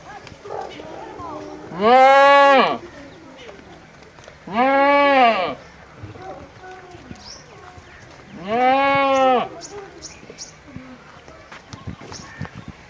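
A goat gives three loud, wavering bleats, each about a second long, a few seconds apart.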